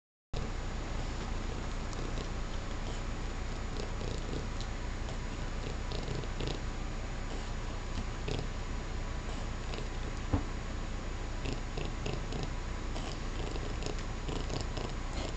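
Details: Domestic cat purring while eating sorbet indoors: a steady, low continuous rumble that runs through the whole recording, with faint clicks and small licking or eating noises over it and one brief sharp knock near the end.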